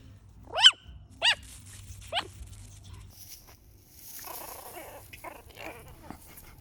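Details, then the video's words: Chihuahua puppy, apple head type, giving three high, squeaky yelping barks about half a second apart, each sharply rising then falling, followed by quieter rustling and faint whimpering noises. "Cute Sounds Of A Puppy Chihuahua | Koko The Chihuahua Barking, Growling, Crying & Squeaky Noises"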